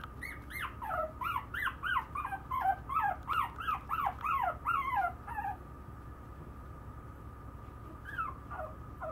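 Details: Maltese puppy giving a rapid run of high, whining whimpers, each sliding up then down, about three per second for five seconds, then a pause and two fainter whines near the end; steady low hum indoors.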